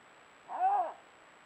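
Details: Canada lynx recorded in February 2022 during rare carnivore monitoring; a single drawn-out, arched, moaning yowl lasting about half a second, rising then falling, over a quiet background with a faint steady hum.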